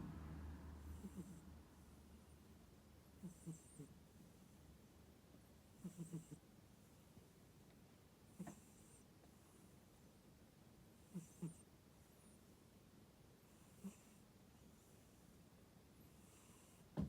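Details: Deeply sleeping tuxedo cat, relaxed enough to sound like a squealing pig, gives faint low snorts at uneven gaps of one to three seconds, with a soft hiss between them in a quiet indoor space.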